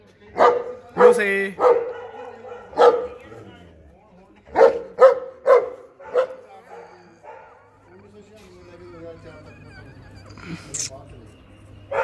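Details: Female Gaddi dog barking in short, sharp bursts: a quick run of three or four early on, then another cluster of four around the middle, followed by quieter stretches and a final isolated yelp.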